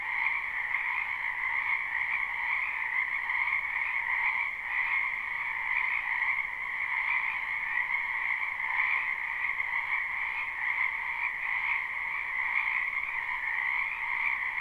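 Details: Chorus of numerous wetland frogs in spring, live and unlooped: steady, shimmering trilled croaking in two layered pitches, evenly loud throughout with gentle rhythmic pulsing and no other noises.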